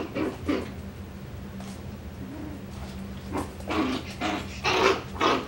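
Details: Coton de Tulear puppy named Moxy from a breeder's litter, recorded 21 September 2023; short bursts of growly yips and soft whimpers, clustered near the start and in the final two seconds, over a steady low electrical hum.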